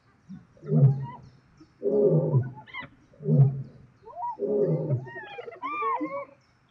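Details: Spotted hyenas clashing with lions over food in South Luangwa National Park, Zambia: deep rumbling growls in four heavy bursts, followed by rising and falling whooping, squealing cries near the end.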